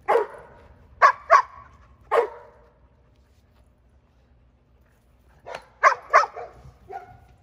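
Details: Female Giant Schnauzer puppy Jada barking during protection exercises: two bursts of sharp, mid-pitched barks, a quick run of three, then after a quiet gap another three in close succession with a short trailing yelp.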